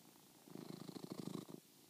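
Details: Domestic cat relaxing under a comforter and purring; steady low pulsing rumble with rapid rhythmic throbs, loudest through the middle, fading toward the end, indoors.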